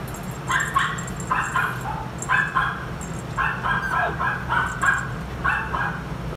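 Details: Brown male Toy Poodle born 1 June 2019, at a pet shop: a rapid series of short, high yips and barks, about two per second, over a steady low hum.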